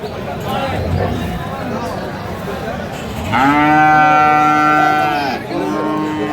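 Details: Bull calf of Friesian or cross breed at Aftabganj haat, a cattle market in Dinajpur, 16 April: a loud, drawn-out moo lasting about two seconds, rich in harmonics and ending abruptly, amid the murmur of traders haggling.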